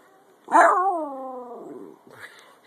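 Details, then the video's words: Topper, a 10 lb pet Jack Russell Terrier, howls during a chasing game: a loud yelping onset sliding into a long, harmonic, slightly falling howl lasting over a second, followed by a short softer yip. "Topper my 10lb Jack Russell Howling & Playing"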